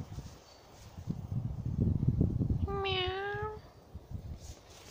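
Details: Domestic cat behind a fence, watched by an American cocker spaniel looking for a way through or under it; one drawn-out, slightly rising meow follows a stretch of low rustling and scraping noise.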